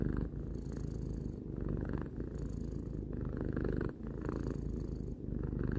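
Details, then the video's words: Domestic cat, three years old, purring steadily indoors: a low continuous rumble with fine rapid pulses, swelling and easing with each breath in cycles of about two seconds. "Cat purring"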